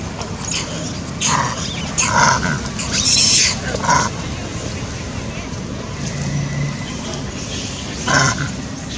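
A monkey gives harsh, screechy bursts of angry calling, with human voices talking in the background.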